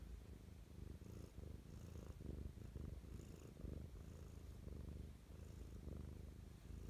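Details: Pet cat purring affectionately in the morning, recorded close up indoors: a steady low rumbling purr that swells and fades in a regular breathing rhythm, each cycle lasting under a second, with no other sounds.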